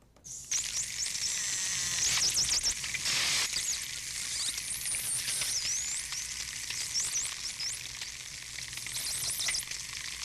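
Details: A group of bottlenose dolphins (Tursiops truncatus), recorded near Miami, gives dense, sizzling click trains mixed with high, rising and falling whistles.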